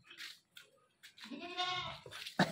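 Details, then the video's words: A goat, just acquired and calling without pause, gives one hoarse, drawn-out bleat after soft scuffling, ending with a sharp knock. "Aj hm ny ak new goat liya or oski awaz he band ni ho rahi thi yar"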